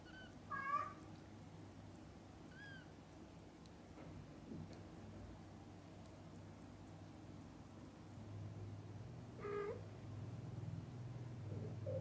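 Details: Domestic cats, mother cats with their kittens, filmed from birth until the kittens open their eyes; short high-pitched mews near the start, another around three seconds and a stronger cry near nine and a half seconds, over a steady low indoor hum.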